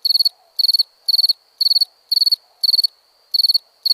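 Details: A cricket at night giving shrill pulsed chirps, about four rapid pulses per burst, bursts spaced half a second apart, with a faint steady high tone between them.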